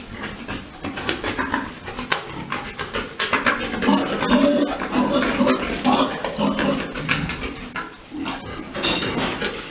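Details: Boar and sow on a pig farm during mating; low grunts build into longer tonal, moaning calls around the middle, set among steady scraping and clattering pen noise.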